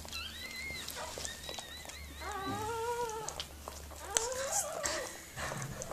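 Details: Whimpering while Mirella, a Miniature Pinscher, gives birth to puppies: drawn-out, wavering, high-pitched whines with strong harmonics, several in a row with brief pauses, over a low indoor hum.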